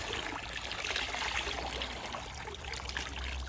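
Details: Steady trickling and pouring water fills the recording, with a broad hiss and no animal voice.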